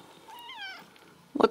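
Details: Ragdoll kitten at a home cattery in central Kansas gives one thin, high meow that rises then slides down, followed by a short bump or rustle.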